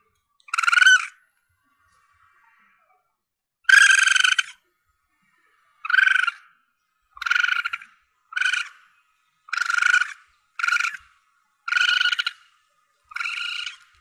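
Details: Young Asian palm civet, offered to hunters to attract targets: a lone squeal, a pause, then eight short, grating, harmonic cries coming faster, roughly every second or so.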